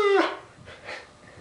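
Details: Pet dog trained to 'talk', vocalizing its 'I love you' on command indoors: a short, loud, falling whiny cry followed by two softer, breathy syllables.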